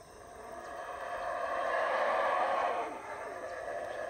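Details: Morning chorus of howler monkeys in the Belize jungle at Howler Monkey Resort, rainy morning; a distant, rushing roar rises slowly, peaks for about a second, then subsides into a steady low rumble.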